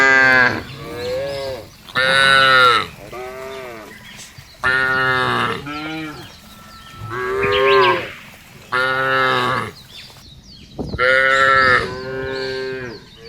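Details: Cows mooing in a field, a series of about six loud, harmonic moos, each one to two seconds long, spaced by short quiet pauses, some bending upward and then falling.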